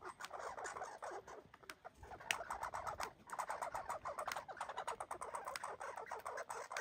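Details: American red squirrels, one of them injured, fight and box, giving harsh, rapid barking chatter in a dense run of scratchy chucks.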